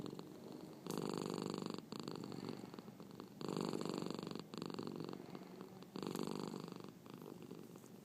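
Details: Marnie, a hiccuping cat, purrs loudly indoors; three strong buzzing swells come with each breath, separated by quieter rumbling stretches, with a couple of sudden sharp clicks between them.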